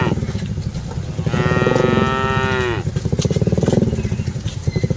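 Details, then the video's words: Cattle being herded as part of a group of dozens; a single drawn-out moo of about one and a half seconds, bending downward at the end, over a constant low throbbing motor sound. "Aktivitas Mengiring Puluhan Sapi Lembu Lucu Suara Moo - Suara Sapi Moo Yang Lucu"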